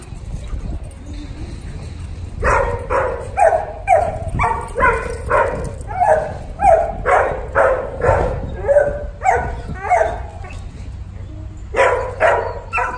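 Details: A dog barks in a steady, fast run of sharp barks, about two per second, starting after a quiet opening, briefly pausing near the end and then resuming, with faint background hum.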